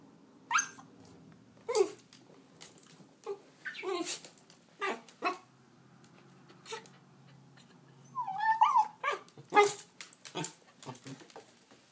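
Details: Miniature Australian Shepherd barking and whining at spicy banana peppers indoors: short sharp barks in irregular bursts, with a high whine around the middle of the sequence, a dog that hates the peppers.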